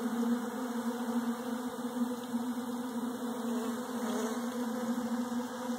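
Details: Honey bees feeding on Bee Pro at 71 degrees on 21 December 2013 give a steady, unbroken droning hum, low-pitched with layered overtones, holding an even level throughout with no other clear sounds.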